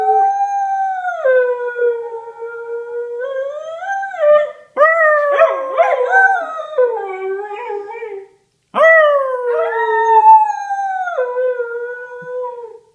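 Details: Howling female whippet, a household pet, giving long wavering tones that rise and fall, with rougher strained moments in the middle and abrupt stops between sustained howls.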